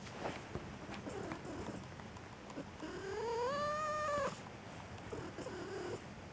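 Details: Domestic cat at home giving one drawn-out meow lasting about a second and a half, rising then holding steady before cutting off, with quiet rustling before and after.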